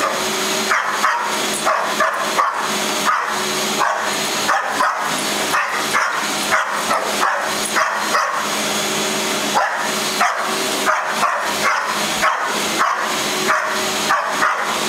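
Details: Mauka, a pet dog, barking at a vacuum cleaner running in a family room: rapid repeated barks, several a second in bursts, over the loud continuous roar of the vacuum.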